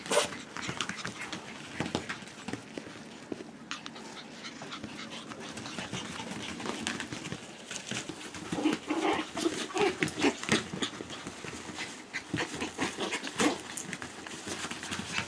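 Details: Three five-week-old Schipperke puppies on a porch: soft, scattered whimpers and light panting amid rustling, scratching and handling noise, with a few louder squeaks around the middle.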